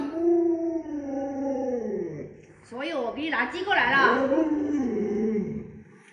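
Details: Indoor pet Alaskan Malamute Luoluo, kept with other dogs and raised by grandma, lets out a long falling howl, then a run of quick warbling, yodel-like woo sounds, while a person talks about giving chicken.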